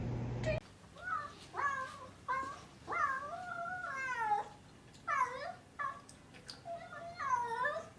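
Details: A dramatic pet cat meowing repeatedly indoors, a series of drawn-out, wavering, complaining meows, some rising then falling, about eight calls in quick succession with short pauses between.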